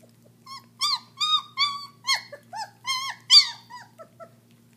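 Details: Loud, sharp squeals from German Shepherd puppies about 3.5 weeks old eating raw meat for the first time, about eight strong harmonic cries in quick succession followed by softer trailing whimpers against a low steady hum.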